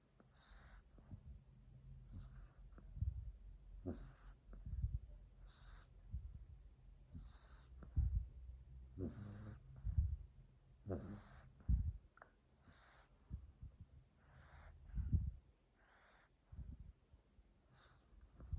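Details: Female French Bulldog Mila sleeping under a chair, recorded 2 March 2021, snoring loudly for a long stretch: a steady run of raspy, wheezing inhales about every one to two seconds, some snorting and gurgly.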